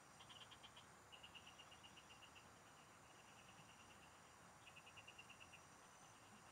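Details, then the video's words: Frogs singing in the fields, recorded while fishing: bursts of rapid, evenly pulsed high notes, each rattling train lasting about a second and repeating several times, over a steady thin insect hum and soft low rumble. "Pikinggan mo Ang MGA huni Ng MGA Palaka SA bukid"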